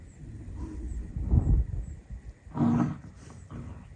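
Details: Sopung, a pet dog that turned grumpy and growly after puppies were born, finally making friends with the puppies; two low, rough growling bursts, a short one followed by a longer, stronger one, against a quiet indoor background.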